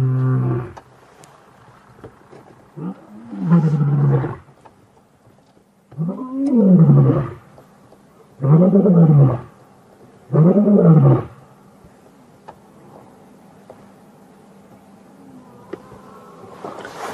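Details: Wild male lions roaring during a coalition challenge and beginning pride takeover, 5 August 2015; series of deep, booming roar grunts, each arching and lasting about a second, spaced two to three seconds apart, then quiet with a faint hum.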